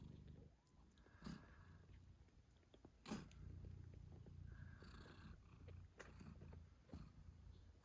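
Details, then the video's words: Low, continuous purr from a British Shorthair mother cat nursing her kittens eight days after birth, broken by a few brief rustles and soft clicks. "Cute Kittens Meowing Yawning Sleeping Cat Mom Purrs Loudly 🥰 8 Days After Birth British Shorthair"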